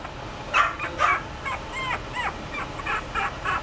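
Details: Chihuahua giving short, high yips and squeaky arched cries, about ten in quick, uneven bursts, some doubled, against a steady faint hiss.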